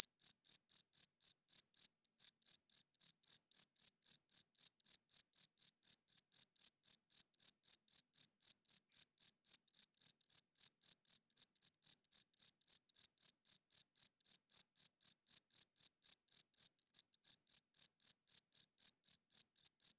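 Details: Loud cricket at night, a male rubbing its wings to attract females and defend territory; a long, unbroken run of piercing chirps at nearly four per second, pausing only briefly around two seconds in and again near seventeen.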